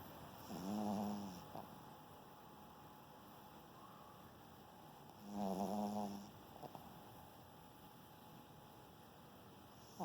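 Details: Bonnie, a German Spitz (Pomeranian), snoring while asleep indoors: two drawn-out, rough, harmonic snores about four to five seconds apart, each lasting around a second, with near silence between breaths and a faint steady background hum.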